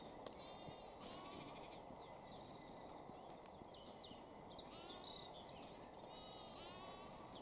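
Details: Lambs and sheep grazing beside a fence in Cambridgeshire, UK, on 20 April 2021 at 6:46 pm; a short bleat sounds near the start over steady grassy rustling and hiss, with faint bird chirps scattered through the background.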